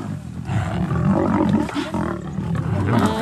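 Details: Thornybush lions of the Black Dam coalition and Avoca Pride give a brief, continuous low rumbling roar, rich in layered harmonics, holding steady loudness for three seconds.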